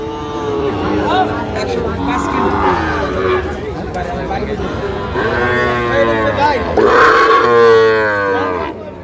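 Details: Lowing of Sahiwal bull calves at a Bangladeshi cattle market on 16 June 2025, as a Shariatpur farmer shops: several long moaning moos overlap with crowd chatter and a faint background tune.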